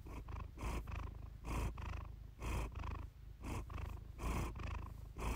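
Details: Iris, a pet cat, purring close up, recorded for a relaxing purr-therapy session: a low, steady rumble swelling into rhythmic breathy pulses a little under once a second, with no other sounds.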